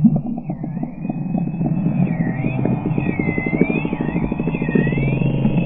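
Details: Short-beaked common dolphins recorded from a boat out of Reen Pier on 15 June 2020, sound enhanced: several looping, wavering whistles sweep up and down over a steady low engine hum and rapid clicking pulses.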